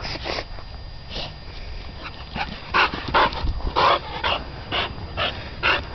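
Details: Titan, also West Wind's Whose Your Daddy, playing in the dog yard, gives a string of loud, short barks spaced about half a second apart, louder and steadier in the second half.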